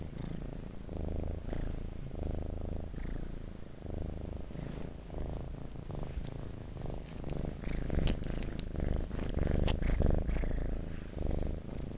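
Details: Domestic cat purring close to the microphone indoors: a steady low rumbling purr with alternating inhale and exhale phases, plus occasional soft clicks and rustling from handling or movement.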